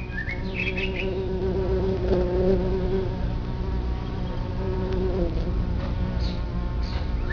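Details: Busy drone of bumblebees at a nest in the ground, a social colony of 50 to 200 bees. The low hum swells slightly in the middle, with short bird chirps near the start and the end.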